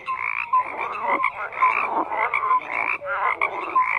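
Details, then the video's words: Frogs croaking in a dense chorus, many overlapping rasping croaks and short whistled notes layered together, pulsing in uneven bursts roughly twice a second with no other clear sounds. "FROGS CROAKING"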